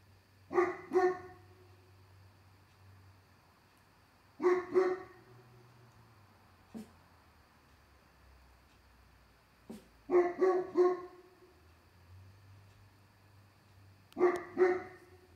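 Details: Late summer night, a dog on the deck barks at something while another dog barks indoors to help: clusters of two to three sharp barks repeating every few seconds, low hum behind.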